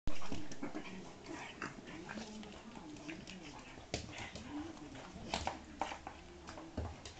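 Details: A Pug and an Akita cross at play: low, wavering growl-like grumbles and whines wind through the whole stretch, broken by scuffling thumps and a louder bump at the start.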